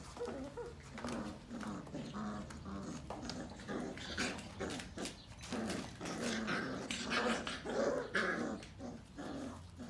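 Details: Female Sheepadoodle puppies, indoors, making low, rough growling play noises in short repeated bursts amid steady clicks and scuffling.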